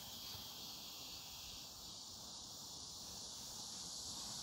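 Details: Cicadas on a Wednesday afternoon, 14 August 2019, at Semiwon garden in Yangsuri, Korea, give a steady, high, hissing drone without a break, with faint pulsing shimmer above it.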